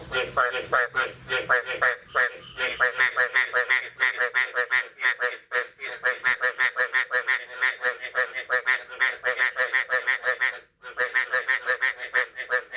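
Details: After the first rain of the year, on the morning of 9 May 2022, frogs call in a continuous run of quick, buzzy croaks close together, nearly three per second, broken by one brief gap.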